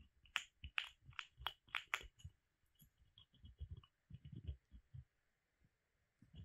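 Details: Pet squirrel Molly chewing on a hazel branch indoors. A quick series of bright, crisp clicks at first, then softer, duller thudding crunches that come in uneven bursts.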